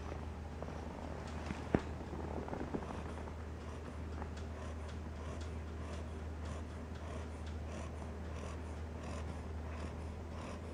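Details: Sleeping ten-week-old Cocker Spaniel puppy named Solley snores in a low, purring rumble of even breaths, with one sharp click near the start and a constant low indoor hum beneath.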